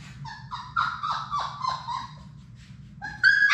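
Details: Sadie's six Labrador Retriever puppies playing indoors in a puppy room. A quick series of five or six short yelps, each sliding downward in pitch, a brief pause, then a sharper higher squeal at the end.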